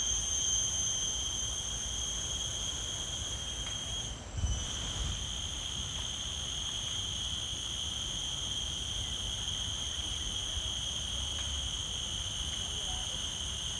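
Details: Insect chorus in a forest: a constant, piercing trill of high tones that briefly cuts out and dips around the fourth second, then resumes steadily over a low background rumble.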